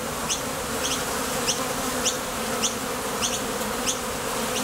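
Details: Honey bees at the entrance of a Top Bar Hive, coming and going to forage for nectar, with a buzz made by their thoracic muscles. A dense, steady hum with low droning layers and sharp ticks roughly every half second.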